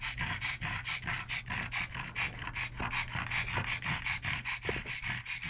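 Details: Pug brothers Yogi and Mister, rescued from the SPCA in Malta, wrestling; steady rapid panting, roughly two to three breathy puffs per second, rhythmic and continuous, with a faint low hum beneath.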